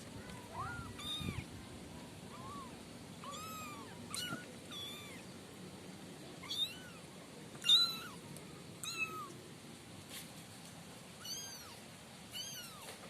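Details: Five kitten siblings kept in a warm cardboard-box pen give thin, high, arching meows, short and scattered, several overlapping at times, some brief and squeaky, over a quiet steady background hiss.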